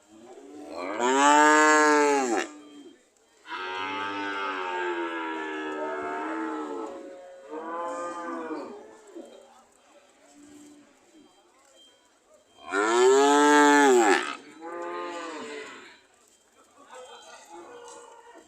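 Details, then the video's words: Cows ready to leave, mooing repeatedly: a loud moo, then longer wavering moos and shorter ones, a quieter stretch with faint lowing, and another loud moo near the end followed by a softer one. "The sound of Cows ready to leave"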